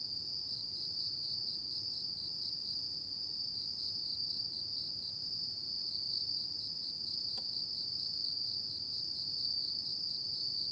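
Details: Autumn insects calling at night: a dense, steady high trill held at one pitch with a faint rapid pulsing, unbroken for the whole stretch, a single soft click near the middle, no other animals.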